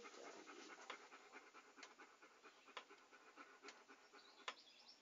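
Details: Close, rapid breathy panting from a dog, quick airy huffs running without pause, with a few louder catches at irregular intervals over five seconds.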